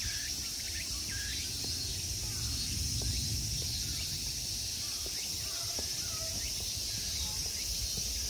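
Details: High, constant insect drone in summer at the Ikegami Honmonji temple grounds in Tokyo, Japan, over heavier low rumbling and some scattered short chirps and taps.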